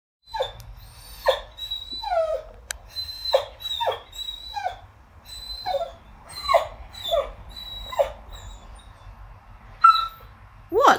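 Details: Fettuccini the Whippet, indoors, cries over a chew bone stuck inside his rubber ball: a run of high, thin whines and yelps, many sliding up or down, in quick bursts about every half second, with brief pauses between bursts.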